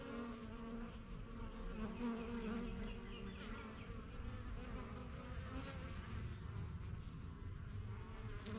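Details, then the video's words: Honey bees crowd the entrance of a young backyard hive, the strongest of a few started in spring 2023, getting used to the area. The droning buzz is even and unbroken, with a low hum and faint background chirps. "BUSY BEE HIVE AMBIENCE"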